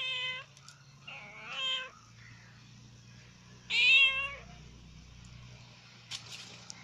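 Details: A black and white female cat that dislikes being photographed lets out three clear, whiny meows, the last the loudest and rising then falling, with a low steady hum in the room behind.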